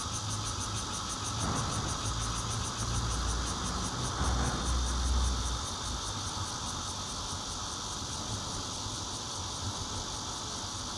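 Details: Bear cicadas singing, recorded 16 June 2013 from a fourth-floor home in Zhongli on a Nokia Lumia 820 phone. A continuous high, rapidly pulsing buzz holds steady throughout, over a low rumble of passing traffic.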